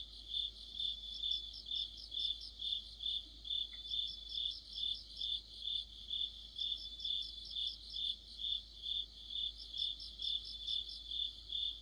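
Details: Deep-autumn night chorus of crickets and companion insects, a shrill continuous trill pulsing roughly twice each second, joined at intervals by rapid stuttering chirp runs from another insect; background otherwise calm.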